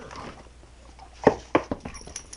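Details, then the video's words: Female Staffordshire Bull Terrier making strange noises while playing with another dog indoors: a few short, sharp yelping squeaks about a quarter second apart, with a person's voice nearby. "staffie makes funny noises"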